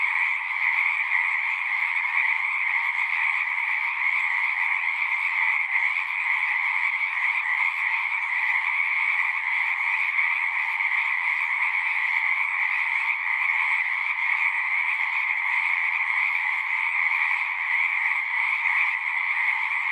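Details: Many frogs singing together in a natural setting: a dense, unbroken chorus of trilling calls held at two steady pitch bands, a lower and a higher, with no pauses and no other clear sounds.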